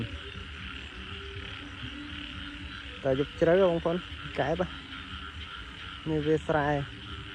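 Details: After an evening of heavy rain, frogs call in a rice field at dusk. Quiet at first, then three bursts of deep, vibrating, nasal croaks, set against a continuous high-pitched insect hum.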